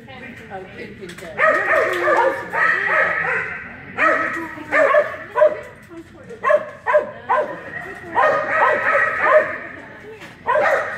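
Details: Keeshond barking at the 2018 Keeshond Club of America National Specialty agility trial: short, sharp barks fired in quick bursts, several close together, with people talking throughout.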